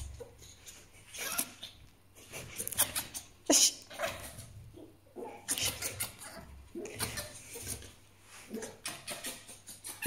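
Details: Djinn, a grumpy pet fox, making angry sounds: bursts of harsh, raspy chattering and shrill squeaks, coming in uneven clusters with brief pauses between them.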